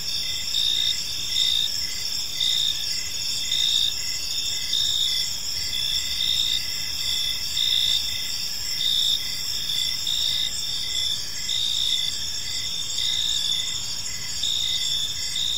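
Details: Evening park crickets chirp continuously in a thick, high ringing chorus, short bright pulses recurring about once per second above a constant insect drone with soft low rumble.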